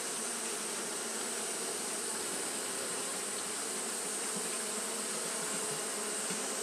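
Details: Japanese honey bees fanning continuously on a hot day: a dense, steady droning hum with layered low tones, beneath an even high-pitched hiss that runs unbroken throughout.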